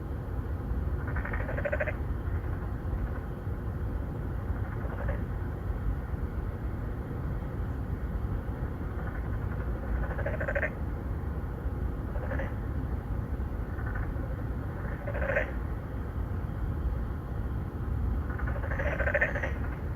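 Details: Three or four narrow-mouthed frogs courting females in an apartment-complex pond in Songdo, Incheon, Korea, 2019, recorded on a Galaxy Note9; short pulsed nasal calls come every few seconds over a constant low traffic rumble.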